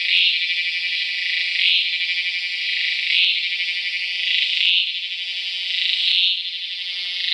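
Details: Calling Tacua speciosa cicada recorded in Peninsular Malaysia, 11 May 2014; an unbroken high, rasping buzz with regular swelling peaks about every one and a half seconds, five peaks in all.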